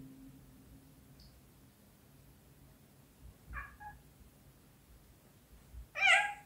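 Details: A British Shorthair cat meows indoors during play. Two short, soft mews come in the middle, followed by a louder, clearer meow at the end over a low steady hum.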